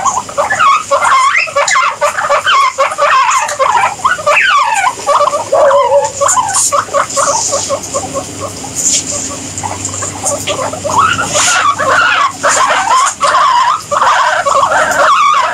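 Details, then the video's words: Several guinea pigs squeaking together in a dense, overlapping chorus of short rising and falling squeals and chirps, with bursts of louder calls around the middle and end and a steady background hiss throughout. "Guinea Pigs Sound"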